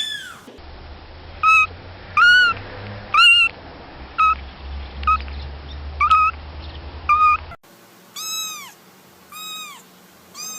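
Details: Kittens meowing in a compilation: short, bright meows repeated roughly once a second over a low rumbling hum, then after a cut a second kitten gives quicker arched meows against a quieter background.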